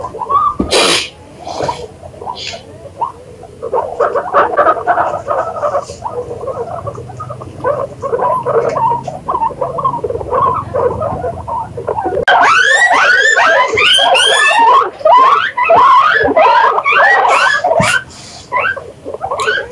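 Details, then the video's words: Guinea pigs start with low, muttering squeaks and clicks, then burst into loud, piercing wheeks: high, arched, whistled notes that rise and fall, repeated rapidly and overlapping for the last seven seconds. "Guinea Pigs Sound"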